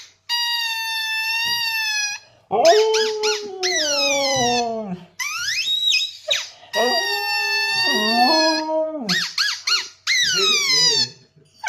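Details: Siberian husky vocalizing in reaction to a squeaky sound: drawn-out, wavering howl-like cries that slide downward in pitch, alternating with steady, shrill, evenly pitched squeaks repeated in bursts throughout.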